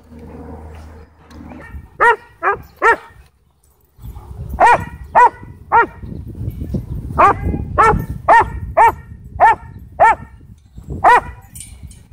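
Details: A sheriff's K-9 Belgian Malinois from a Texas county, at a dog park, tries to attack someone. After a low rumbling start come three sharp barks, a pause, then about a dozen loud, harsh barks roughly every half second over background noise.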